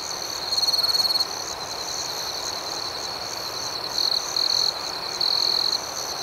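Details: Gentle night chorus of crickets, high and shimmering, broken by three louder pulsed trills from a nearby individual, one early and two close together later.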